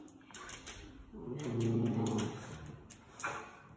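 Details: A Miniature Schnauzer gives a low, wavering, voice-like grumble that rises and falls in a few drawn-out syllables, sounding like "I don't know".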